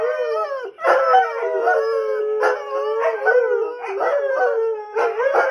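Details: Greyhounds, three of them, answer television police sirens with group howling: sustained wavering wails with several voices at once, interrupted by quick yelps and pauses roughly every second.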